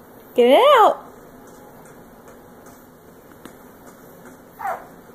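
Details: Kupo, a female pug, whines in frustration at not getting the toy she wants: one loud, rising-then-falling whine near the start and a shorter, fainter whine near the end, with a person speaking encouragement in a small room.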